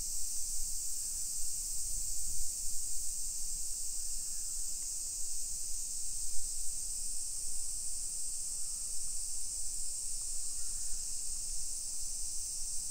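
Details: Midday summer cicadas buzzing over a modern suburban hillside neighborhood in Nisshin, near Nagoya, Japan, 28 July 2021. One unbroken shrill, sizzling wash of sound fills the air above the low rumble of walking.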